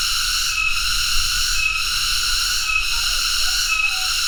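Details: High, sustained cicada trill with layered ringing harmonics, faltering for an instant about once a second; a faint low rumble runs throughout.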